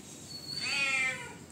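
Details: Rowdy house cat demanding food: a single drawn-out meow that swells, rises slightly and then falls away over about half a second, over a soft background hiss.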